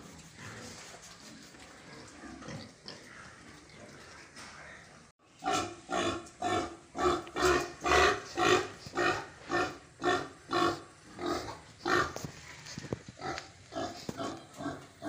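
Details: Pigs on a farm, heard while eating: a quieter murmur for five seconds, then loud rhythmic grunts repeated about twice a second, rough and harmonic, continuing steadily to the end.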